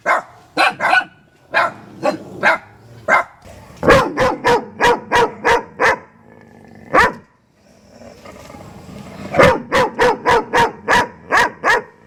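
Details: German Shepherd dog: bursts of rapid, sharp barks, several per second, broken by pauses with a soft low rumble, roughly twenty barks in all.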